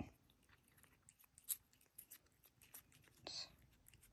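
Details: Sweetie, a pet cat, eating a treat indoors: faint, dry crunching clicks at an irregular pace, a louder snap midway, then a brief whispered human word near the end over a quiet room.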